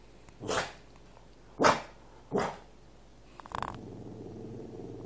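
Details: Cavalier King Charles Spaniel begging for its owner's food: three short sharp barks about a second apart, then a low sustained growl to the end.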